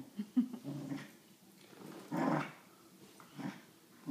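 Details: Wheaten Terrier Dillon with his favourite toy monkey, giving short, low, grumbling growls, one early and a louder rasping surge near the middle, with quieter rumbling between.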